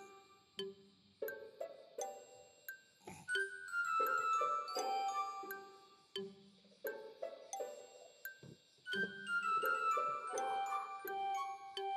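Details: Gentle chiming background music with glockenspiel-like bell notes and soft mallet tones, and no animal sounds.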